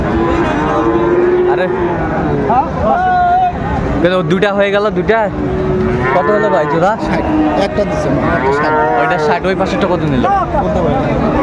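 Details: Friesian and cross-breed bull calves being bought and sold at Raniganj cattle market, Dinajpur, on 26 December 2024; drawn-out wavering moos rise and fall repeatedly amid constant bargaining voices and market chatter.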